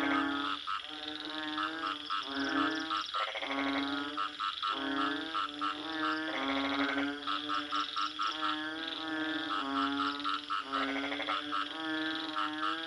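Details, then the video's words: Frogs croaking in a dense chorus: nasal, harmonic croaks from several overlapping callers, broken by short buzzy pulsed bursts every second or so, with a steady high hiss behind. "Bunyi Katak"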